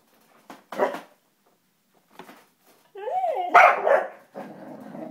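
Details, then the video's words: Two-legged dog Popeye gets feisty at home when paper goes into the printer, giving short sharp barks, a wavering whine sliding up and down, then a loud bark burst trailing into growly grumbling. "Dog goes nuts at the printer"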